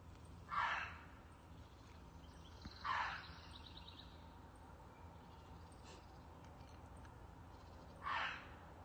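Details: A fox near a yard at 6 o'clock, seemingly hunting, gives short harsh, hoarse calls: two about two seconds apart, then a longer pause before a third. A steady background hiss and faint bird chirps are also heard.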